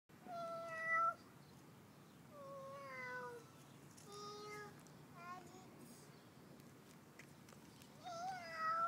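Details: A cat meowing indoors: a series of short, level and slightly falling meows, five or six in nine seconds, the first and last louder, over a steady low hum.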